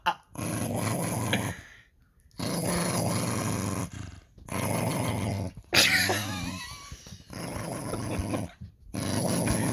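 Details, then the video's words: Reginald, a pet dog, 'talking' indoors: rough, rumbling grumbles and growly moans in several long bursts separated by short silences, with one higher squeaky whine in the middle; a person briefly remarks on it. "Reginald talking"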